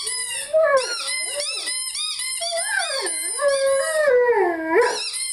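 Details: Lyle, a Rhodesian Ridgeback, sings along with his favorite squeaky toy in one continuous warbling howl that swoops up and down, with rich harmonics and high squeaks layered on top.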